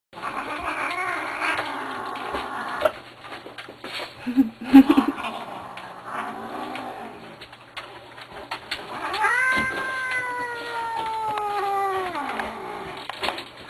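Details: Grumpy Manx cat, a male pet, vocalizing at length: rough, noisy grumbling early on, then a long drawn-out meow with clear harmonics that holds level and falls at the end; a man talks to the cat between sounds.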